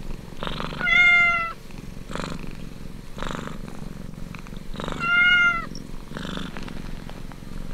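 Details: Suckling kitten with a soft pulsing purr in steady breathy bursts, broken twice by loud, clear, slightly falling high mews about four seconds apart.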